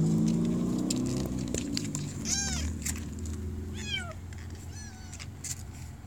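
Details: Kitten trapped in a deep pipe in Bulgaria during a rescue: three high, thin, drawn-out meows sound near the middle over steady low rumbling and scattered clicks.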